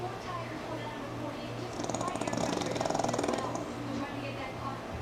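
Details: Sammi the pug sleeping through NASCAR on television gives one long rattling snore, a buzzy fluttering rasp lasting about two seconds, over a steady low hum and race broadcast sound.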